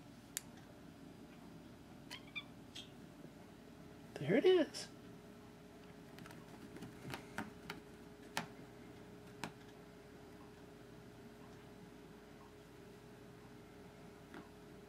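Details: Pet cat begging for its laser toy gives one short, rising-falling meow midway, amid scattered clicks and a person's quiet coaxing talk before and after.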